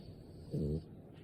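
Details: A sleeping French Bulldog gives one short, rasping snore lasting about a third of a second, low and buzzy with stacked tones, rising out of a quiet indoor background and fading again.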